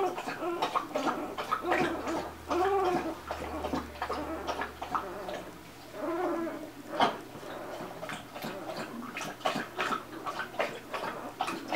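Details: Golden Retriever litter at two days old: scattered thin squeals and gurgling grunts from several pups, a few longer rising-falling whines standing out amid soft movement noises and a brief louder thump.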